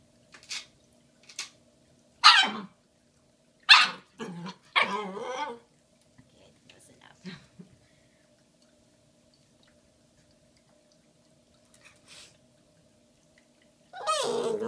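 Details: Female Shiba Inu puppy Bowie, nearly five months old, with her giant Valentine's Day bone on February 14, 2016, gives scattered sharp barks and short yips, several close together early on, a long quiet stretch with soft taps, then a final loud bark.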